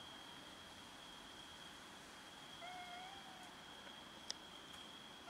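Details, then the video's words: Cats fighting each other over food: one short, faint, slightly rising meow about halfway through, set against a constant high whine and a sharp click near the end. "Cats meow and fight each other over food"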